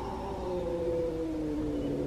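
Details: In the evening, a rescued feral domestic cat hisses and then gives a low, drawn-out growl that slowly sinks in pitch. It is warning off a newly recovering cat that has come near the gate between them for the first time, which is normal behaviour.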